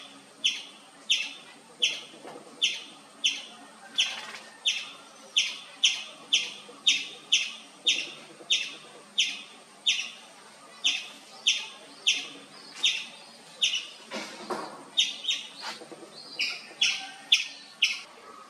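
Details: Indian palm squirrel chirping without pause, sharp high chirps repeated steadily about every 0.6 seconds for the whole stretch, loud and even, with a brief softer rustle in between.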